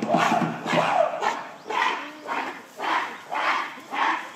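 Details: Gorillas screaming at breakfast time in December 2023 as a female chases a huge silverback, her son joining the chase amid rising tension; harsh, broadband shrieks come in eight bursts, about one every half second.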